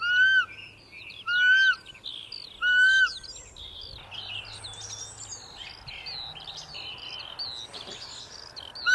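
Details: Roe deer giving three loud, clear, slightly arched tonal calls, each under half a second and about 1.3 seconds apart, followed by several seconds of busy chirping and twittering from small birds, then a final call at the very end.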